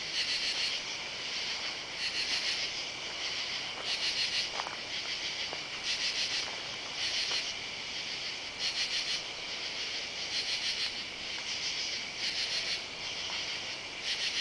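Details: Katydids calling on a Saturday night, July 31, under oak trees in a side yard. A loud, high, raspy chorus pulses in bursts of about half a second, roughly every second, steady and rhythmic over a continuous insect hum.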